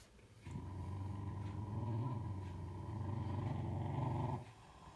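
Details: A mother cocker spaniel gives a long, low, rumbling growl lasting about four seconds to keep the father away from their only pup, born two days ago; the father stands still.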